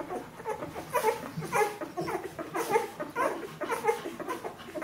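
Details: Fourteen-day-old Bernese Mountain Dog puppies of a litter making thin, high whimpers, short squeaks repeated roughly every half second with a soft rustling behind them.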